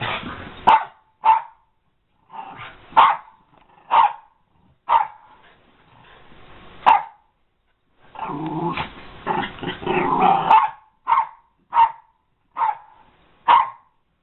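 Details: American Eskimo Dog barking in short sharp bursts, singly and in quick pairs, with a dense stretch of overlapping barks and growly noise near the middle, then spaced single barks again.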